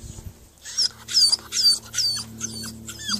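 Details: Thirteen-week-old Staffordshire Bull Terrier puppy named Harry, upset at being below while his owner picks apricots up a ladder, then climbing it himself; thin high whines sliding downward, about six in three seconds, over a steady low hum.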